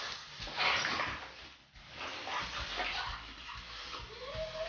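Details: Pit bull puppy at play with another dog named Ice: scuffling, breathy play noises and brief high yips, ending with a short rising whine.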